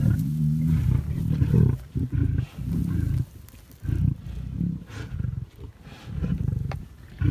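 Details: Lions at feeding time, dinner underway: deep, rumbling low roars and growls in heavy bursts, broken by short pauses, with brief quieter gaps between loud outbursts.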